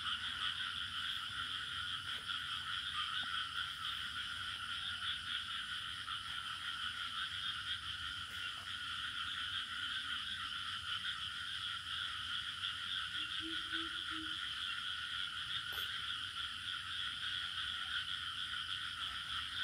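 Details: Steady cricket chorus in a rural village, high trills sustained for nearly twenty seconds, with occasional faint clicks and a short low tonal burst around the thirteenth second.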